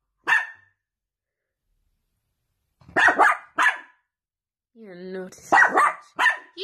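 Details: Sausage dog from a Dachshund puppy compilation giving a single sharp bark, a pause of about two seconds, then a pair of barks, a brief tonal whine and two more barks close together.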